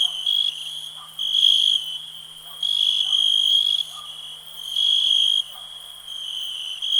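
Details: Cricket chirping: a steady, high, ringing tone swells into louder pulsed bursts about every one to one and a half seconds, with faint softer chirps from other callers beneath.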